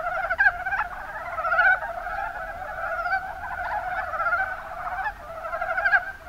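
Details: A chorus of mountain brown frogs (Rana ornativentris) in Kumamoto's Kuma Basin, Japan, giving quick, low, chuckling croaks that overlap in a steady murmuring mass, with sharper individual notes popping out near the start.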